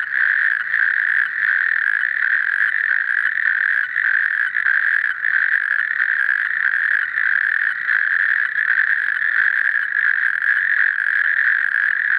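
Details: Natterjack toad calling with a sustained, unbroken rattling churr at a constant mid pitch, steady in loudness and pulsing rapidly throughout without pauses.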